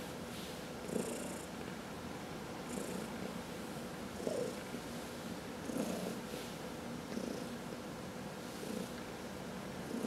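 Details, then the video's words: A cat purrs under a massage, a continuous low rumble that rises in slightly uneven surges every one and a half to two seconds, with faint airy hissing riding on several of them. "Four Purring Cats — Cat Massage"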